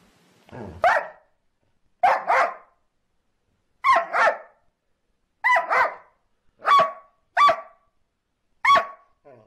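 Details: Domestic dog barking in a funny home recording: seven loud, sharp barks, often doubled, at uneven intervals of about one to two seconds over quiet background.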